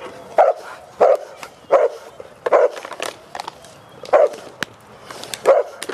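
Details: Cane Corso raised among a family barking in single loud bursts spaced about a second apart, with clicks and knocking sounds in the gaps.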